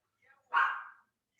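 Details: A small dog yapping in the background indoors: one sharp, bright yap of about half a second that fades quickly, with a faint softer sound just before and a click at the end.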